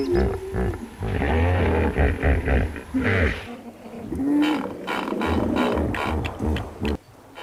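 A hippopotamus gives deep, rumbling grunts and a drawn-out, honking bellow.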